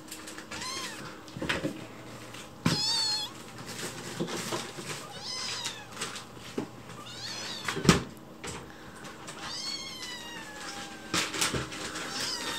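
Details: In the kitchen, the rescued white kitten Chichi begs for food with a sweet, pleading voice. Several clear, arched meows sound, some drawn out and some short, between sharp knocks and clatter from cupboards.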